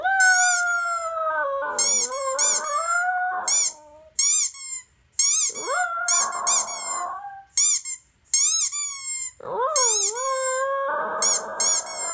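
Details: Male toy poodle howling in response to a squeaky toy recording played on a laptop. Wavering, sliding howls rise and dip, some with a rough, growly edge, alternating with rapid bursts of high, sharp squeaks throughout.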